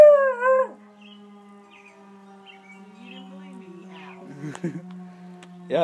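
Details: Bluetick Coonhound howling at sirens: a short, wavering, tuneful howl opens, then a steady low drone with faint murmurs, and another rising, quavering howl breaks out at the end.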